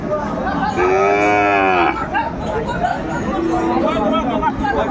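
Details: Sahiwal bull calf mooing at Aftabganj cattle market (haat), 4 May 2024: a single long, harmonic-rich bellow lasting about a second, steady then dropping slightly at the end, over constant crowd chatter and bargaining voices.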